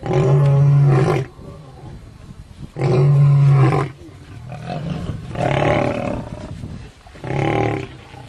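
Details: Lions in a fight produce deep, powerful growling roars, four loud bursts of about a second each, spaced roughly every two seconds, with rough throaty tone and low rumbling between them.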